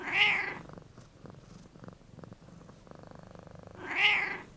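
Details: Domestic cat in close-up, one bright, tense meow at the start and another at the end, with a soft, rhythmic, low rumbling like purring between them in a quiet small room.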